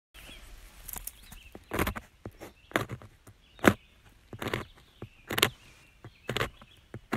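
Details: Single white grub, about 3 inches long, inside a cut log by a cabin, chewing wood under the bark with large mandibles: sharp, dry crunching snaps about once a second, uneven, over faint hiss; finding: beetle grub.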